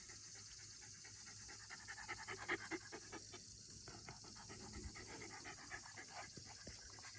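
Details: Shiba Inu dog in the countryside, panting as it welcomes its owner home: quick, soft, breathy huffs in an uneven rhythm, fairly faint, with a steady hiss of background noise.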